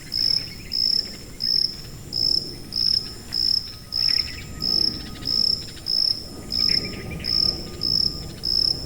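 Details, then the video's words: Cricket giving a run of shrill, high, buzzy chirps spaced a little over half a second apart, presented as a masking sound for tinnitus, with a low, muffled background rumble. "고주파_귀뚜라미3 / High-Frequency_Cricket3"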